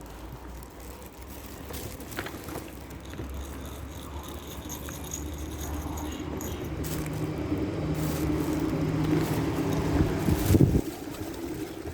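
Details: Rumbling vehicle noise with jangling and rattling, building gradually to a brief loud clatter, and no animal voices.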